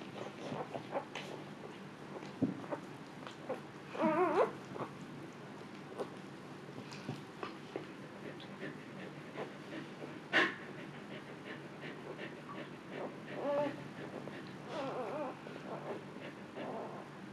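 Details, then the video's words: Luna, a female Siberian Husky, indoors in labor while giving birth to puppies for the second time and staying calm; soft, wavering whimpers of rising and falling pitch come in short bursts around four and thirteen seconds over quiet room noise. "husky in labor"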